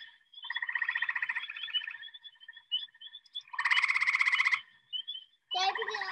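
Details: A male gray tree frog gives loud, musical pulsed trills, each lasting about a second, between pauses, with other calling males and spring peepers in the background, in spring.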